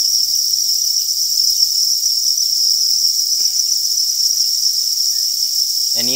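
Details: Crickets on a cricket farm in a massed, constant high trilling chorus that never pauses, with soft low rumbling early on and a brief voice at the very end.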